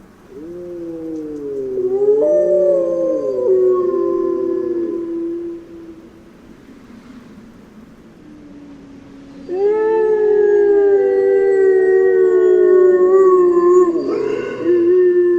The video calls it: Wilk - Grey Wolf -- Ptaki, płazy, gady, ssaki - sounds of nature